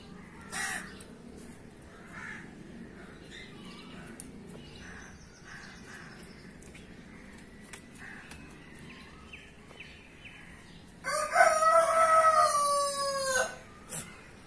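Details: A goat gives a single long, quavering bleat of over two seconds near the end, rich in wavering overtones, after a quiet stretch with faint rustling and scattered soft clicks.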